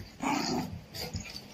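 An Indian Spitz gives a sharp, fairly high bark, then a shorter, softer second bark.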